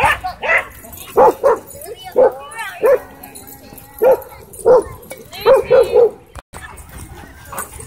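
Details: Doberman and Belgian Malinois in a dogfight at a dog park, with an e-collar correction: around ten sharp, loud barks in short bursts and clusters across eight seconds.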